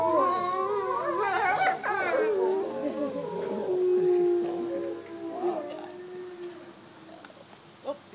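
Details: Wolves howling at the International Wolf Center in Ely, Minnesota: several overlapping, long, sliding howls with wavering pitch, loudest in the first five seconds and then fading into quieter background.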